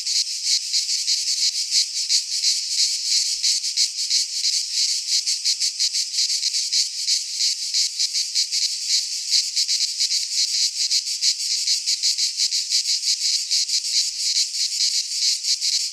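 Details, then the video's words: Sustained midsummer singing of cicadas in a pine forest in Greece, an intense high-pitched rattling drone made of very rapid pulses, holding the same level for the whole stretch. "Cicadas singing in midsummer - Nature sounds from the Greek fauna - Sounds of cicadas"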